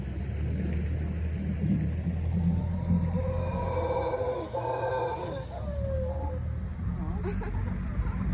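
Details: Mantled howler monkeys (Alouatta palliata) in the rainforest of Tortuguero National Park, Costa Rica, give deep, guttural roars that swell and fade over a steady low rumble.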